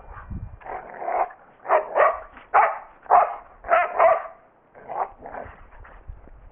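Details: Pet dog named Maggie playing with another dog, Odie, on Christmas Eve; a rapid run of harsh mid-pitched barks and growly yips, about eight loud bursts in quick irregular succession, with soft thumps underneath.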